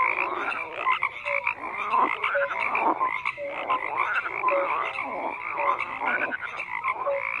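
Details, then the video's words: Frogs croaking en masse: overlapping rattling croaks and brief tonal blips repeat continuously, forming a thick mid-range chorus with no other sounds standing out. "FROGS CROAKING"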